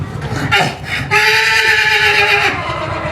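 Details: Horse making a weird, funny noise: a steady, drawn-out tonal squeal lasting about a second and a half, preceded by a person talking and calling the animal over.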